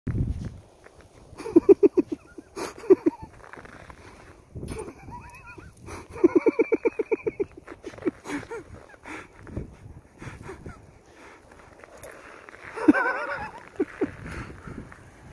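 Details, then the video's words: Skadi, a Norwegian Elkhound, gives bursts of rapid, stuttering, pulsed yips and yodel-like calls in clusters, with a man's giggling laughter interspersed and a louder rising call near the end. "Skadi the Norwegian elkhound"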